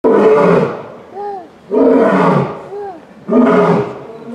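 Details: Captive Asiatic lion at Yokohama Zoo Zoorasia, Japan, recorded November 2019, giving three deep, loud roars about every one and a half seconds, each followed by a short rising-falling grunt between them.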